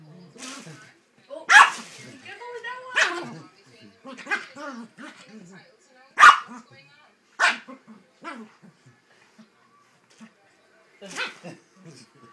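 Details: Yorkshire Terrier protectively guarding Christmas presents, barking sharply and irregularly, several loud yaps mixed with softer growly whines and quieter short barks, with people talking faintly around it.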